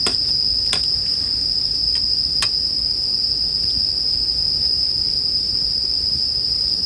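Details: Steady high-pitched bell cricket trill for sleep listening, mixed with a bonfire; a few loud cracks from the fire come early, then mostly the unbroken insect ringing with faint crackling.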